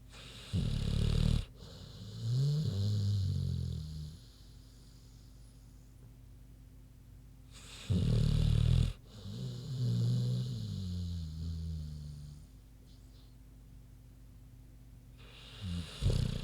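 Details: Big pig Queenie sleeping: repeated cycles of a harsh, grating snore followed by softer wavering low breaths, each cycle roughly seven seconds apart with quiet gaps between.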